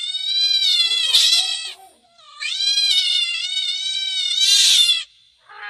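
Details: Pet cat calling with long, sustained wailing meows that run almost continuously, slightly rising and falling in pitch, with brief scratchy noise bursts near the first and last call.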